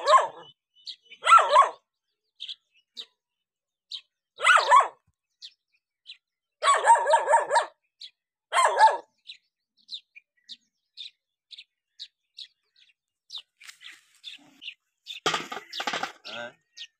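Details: A dog reacting to a stranger gives loud, harsh barks in irregular bursts, with clicks and a brief scuffle of noise later.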